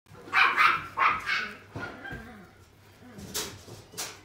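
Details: A Pembroke Welsh Corgi at a pet shop gives a burst of sharp, high barks, then a few quieter yips.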